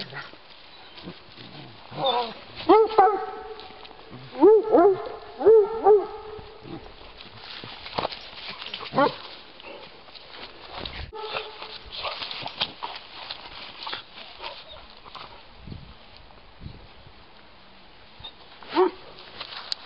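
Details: Giant Schnauzers, including 16-week-old puppy Moose, on a woodland walk in Battle Great Wood, Sussex, with Miniature Schnauzers along. Rough, ringing barks come in short bursts near three and five seconds, then single barks later, over rustling leaves and footsteps.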